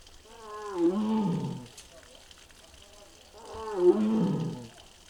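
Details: Mugung, a six-year-old captive tiger at the Tiger Forest in Bonghwa, South Korea, recorded the afternoon of 24 April 2026 and said to be making strange, possibly unwell sounds; two drawn-out harmonic moaning calls about three seconds apart, each bending downward.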